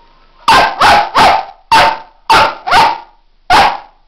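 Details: Kipi, a female pet dog, barks seven times in about four seconds: sharp, loud, bright barks in uneven bursts, with short quiet gaps between them and no other clear sounds.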